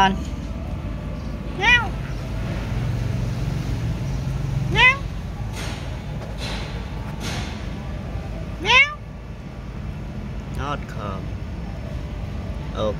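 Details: Cat offered mixed rice meows repeatedly, about every three to four seconds: clear descending meows early on, then a few fainter ones toward the end, with a person speaking and low background rumble throughout.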